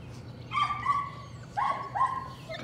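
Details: Working rats in the evening, Patterdale Terrier puppies give drawn-out whining yelps, one pair and then another, high and tonal, against a faint low hum.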